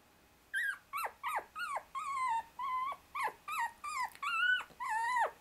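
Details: 24-day-old Shiba Inu puppy, a brother pinned under two younger sisters using him as a pillow, struggling to escape; after a short silence, about ten high, squeaky whimpers, each bending down in pitch, follow one another roughly every half second.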